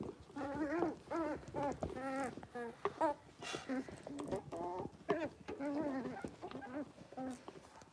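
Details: Five six-week-old blenheim Cavalier King Charles Spaniel puppies, born to Paris and Spike at New Year, in their home puppy pen; a busy chorus of overlapping high whines and yelps, tonal and wavering, packed closely throughout.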